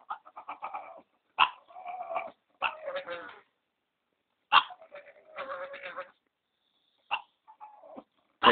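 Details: Pug 'singing' while waiting for his food, one of three dogs being fed: bursts of whiny, yelping howls and moans in short phrases separated by pauses, ending with sharp yips.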